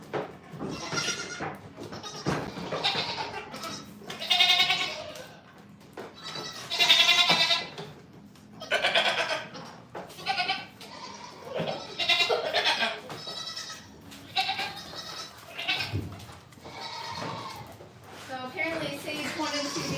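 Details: Goats at The Willful Goat Farm & Home give a steady run of wavering, nasal bleats, one after another with short gaps, several overlapping voices calling through the whole stretch.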